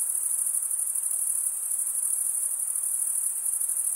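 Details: A chorus of chirping crickets makes an unbroken, very high, buzzy shimmer with slight rapid pulsing and an even volume from start to finish.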